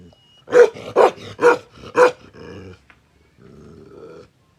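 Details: Bakarwal dog, described as aggressive and kept for protection, barks four times at roughly half-second intervals, each bark loud and harsh, followed by a rumbling low growl, a brief pause, then another steady growl.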